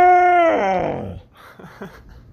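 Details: A female Siberian husky gives a loud, drawn-out, tuneful roar that slides down in pitch, guarding her toys.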